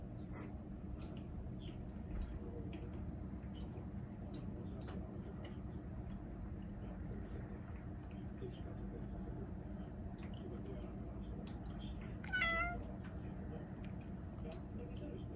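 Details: A short-legged red tabby and white Munchkin cat meows at snow, which has fallen there for the first time in a while: one brief, clear tonal meow sliding slightly downward, over a steady low indoor rumble and faint clicks.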